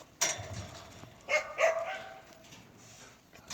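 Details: Native Korean Jindo dog at a breeding kennel giving three loud, sharp barks: one abrupt bark, then a quick pair a second later, trailing into a quiet background.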